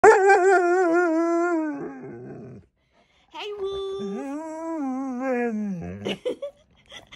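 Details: In the morning, a Siberian husky that seemed unwell the night before answers its owner with drawn-out, tuneful howling moans that waver and bend in pitch; the owner calls it growling.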